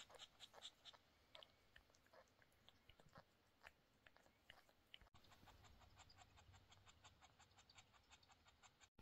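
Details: Domestic cat Snowflake during the birth of her three kittens, father cat Bonik waiting all day; quick, evenly spaced breathy panting throughout, with a short break near the middle before the rhythm continues.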